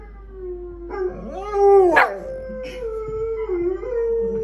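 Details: Several pet dogs howling together: long, even, harmonic tones that swell to a rising, wavering peak near the middle, then settle into a steady, sustained note with slight pitch dips toward the end.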